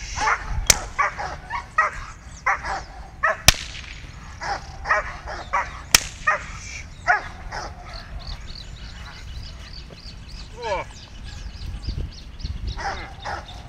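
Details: Six-month-old Dobermann pup Phanomen Ishtor, born 17 February 2017, working line, in its first bite training session, described as a dominant, hard-biting pup with plenty of drive. Short sharp barks and yips come in bursts, with three loud whip cracks and a brief whine near the end.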